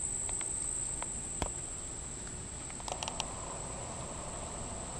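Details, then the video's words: Insect of unknown kind heard near Monticello Lake, Arkansas, July 14, 2012, 6:31 pm: a constant shrill monotone tone continues, while sharp knocks and clicks of handling break in, several bunched near the middle. "unknown insect sound"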